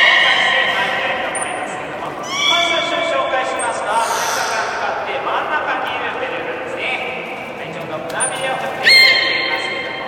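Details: Beluga during a public training session at Nagoya Port Aquarium, 24 March 2018: high squeaky whistles and chirps, some rising sharply, mixed with a trainer's speech and audience noise in an echoing hall.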